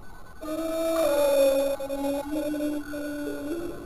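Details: A house cat in the bath gives a long, loud, drawn-out meow lasting about three seconds. It starts higher, sinks, and wavers with small breaks, like a plaintive howl, in a quiet, echoing small room.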